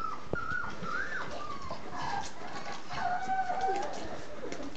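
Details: Three-week-old puppies of a litter called the Z-Litter nursing on milk, giving thin tonal whines that rise and fall, a few drawn-out squeaks across a few seconds over soft rustling.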